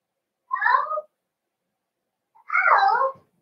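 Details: Cavalier King Charles Spaniel puppies in an indoor home puppy pen, during a socialization session with several bigger dogs of the household: two drawn-out, wavering whimpers, each under a second, separated by a short pause, in a quiet room.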